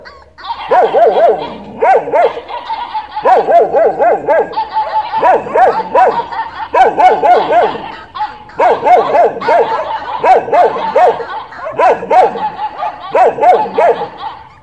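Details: Dog giving bursts of short, high, tonal yapping barks in quick clusters of three or four, each cluster repeated roughly every one to one and a half seconds throughout.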